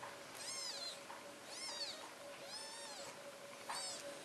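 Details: British Shorthair kittens, four days old, at a Polish cattery: four thin, high mews in quick succession, each rising and then falling, with a constant background hum.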